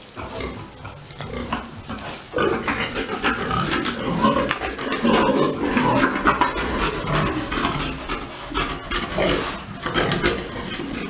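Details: Pigs at a breeding farm during mating, a large boar with a sow; dense, noisy grunting and snorting runs throughout with a busy, irregular rhythm, louder after the first two seconds, mixed with other farm noise.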